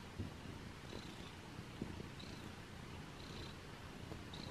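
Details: Abyssinian cat purring softly while getting a belly rub; a low, steady, rumbling purr that stays quiet throughout, with faint high tones recurring about once a second in the background.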